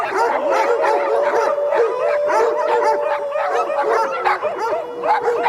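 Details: Matthias's guard dogs with a flock in France, barking to warn wolves near the flock that they are not afraid; continuous overlapping barks from several dogs, mixed with a steady drawn-out howl underneath.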